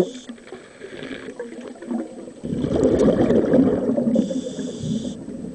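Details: Large bull seal in the Scillies, asserting authority and unwilling to play, gives a sustained loud guttural roaring moan lasting several seconds after a quieter start, rough and broadband, with water noise behind.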